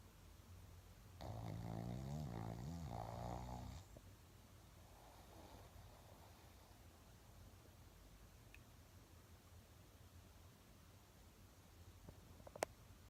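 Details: Sleeping Shih Tzu Laimos gives a long, vibrating, growl-like snore of about two and a half seconds, then a softer, breathy snore, then quiet room hiss broken by a couple of faint clicks.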